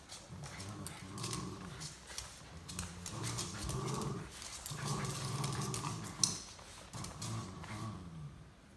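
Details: Welsh Terrier pulling another dog for a ride, giving repeated low rumbling growls in one- to two-second bursts separated by short gaps, with scraping, clicks and a faint voice in the background.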